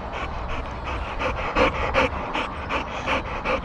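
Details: Adult Boxer dog and puppy Sammie, tired after rough, hard play, pant with quick rhythmic breaths, about three per second and fairly steady, some louder than others, over a low background hum.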